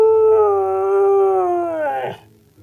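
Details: Siberian Husky singing and talking in reply to its owner: a smooth, drawn-out howling note that gently falls in pitch, then breaks off with a brief rough edge near the end.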